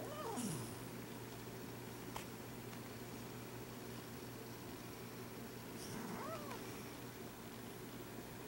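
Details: Sabot, a cat, dreaming in its sleep, gives two soft, short mews, each bending downward, about six seconds apart, against a steady low indoor hum and a few faint clicks.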